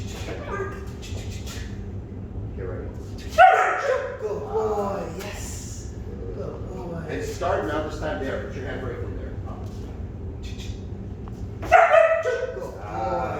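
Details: Frustrated puppy unable to reach its handler, barking during repeated training runs. Two loud, sharp barks about eight seconds apart stand out over nearly continuous instruction from a trainer.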